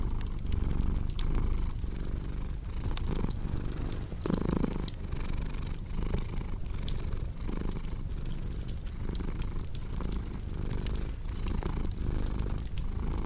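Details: Domestic cat purring steadily indoors, a low rumbling throb pulsing in slow waves about once a second, overlaid with the sharp pops and crackles of a wood fireplace throughout.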